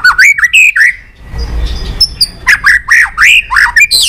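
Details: Pet White-rumped shama song used to stimulate other shamas: loud, fast rising and falling whistled phrases, a brief low rumble in a pause, then more looping whistles.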